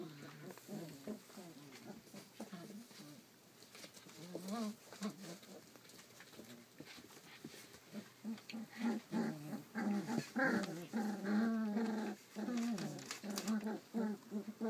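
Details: Collie puppy aged 34 days, recorded 29 July 2012, making whiny squeals and short yelps that grow denser and louder toward the end, with soft background chatter.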